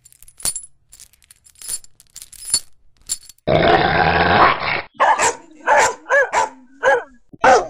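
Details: Dog barking: faint clicks first, then a burst of harsh broadband noise, followed by about six short, sharp barks with clear tonal layers at uneven intervals.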